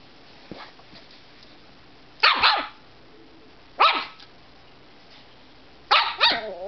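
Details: Grumpy, tired pet dog making noises before a nap: three short, rough bark-like huffs spaced about one and a half seconds apart, each with a brief rasping tail, over quiet room noise.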